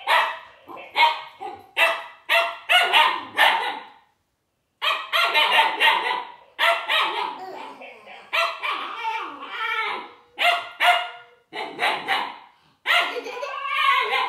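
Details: Young Siberian Husky puppy barking at a toy robot: bursts of short, high, harsh yaps in quick clusters, with a few pauses, ending in a longer whining yelp.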